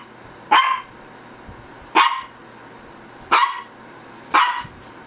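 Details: Shih Tzu barking indoors: four sharp, mid-pitched barks spaced roughly one to one and a half seconds apart, each a short bright burst, with a low steady hum underneath.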